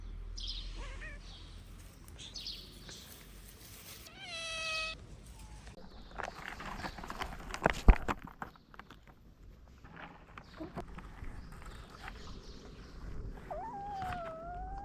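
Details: Hungry stray mother cat and her kittens greeting at a garden gate: a loud harmonic meow around four seconds, faint short mews earlier, then a wavering drawn-out meow near the end, over rustling, a thud and low outdoor rumble.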